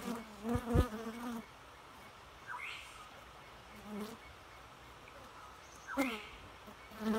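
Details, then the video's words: Bee buzzing in short low droning bursts as it flies past: a loud pass in the first second and a half, then fainter passes around the fourth, sixth and seventh seconds against quiet background. "Bee Noise"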